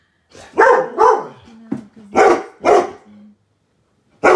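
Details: Weimaraners indoors barking at a 12 ft Halloween skeleton outside the window: two quick deep barks, then a pair of louder barks after a short low whine, and another bark at the end.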